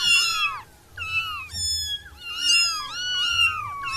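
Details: Six wild kittens, including orange ones, giving repeated thin high mews that bend down at the ends, calls overlapping in quick succession, over a faint low background hum.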